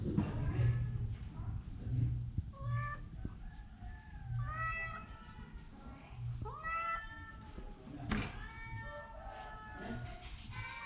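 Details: Orange cat, sick with a cough and a cold, gives a few drawn-out rising-then-falling meows spaced a couple of seconds apart over a low rumbling background, with soft human voices nearby.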